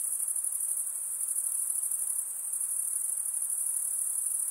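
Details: Continuous nighttime insect chorus, a bright, high trilling buzz with rapid regular pulsation, slightly swelling and fading in places, and a soft low hiss beneath it.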